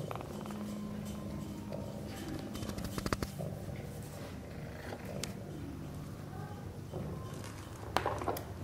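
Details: Sphynx mother cat and kittens at play in the nest, giving a continuous low pulsing purr with a faint higher drone, broken by rustles, taps and a brief squeak near the end.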